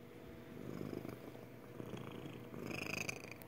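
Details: Magic, a pet cat, purring her happy purr: a steady low rumbling vibration running throughout, swelling slightly louder in the second half, with faint higher rustles near the end.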